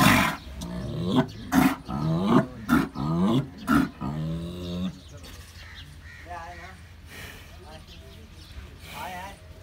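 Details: Big bulls at Bhains Colony, Karachi, one said to look a little aggressive: deep, harsh roaring grunts repeat roughly every half second for about four seconds, then men talk over steady background noise.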